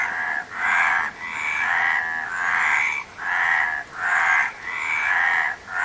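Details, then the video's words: Harsh, pulsed frog croaks come in regular rounded bursts about once a second, with clear dips between, from a group of calling frogs. "Frog Sound"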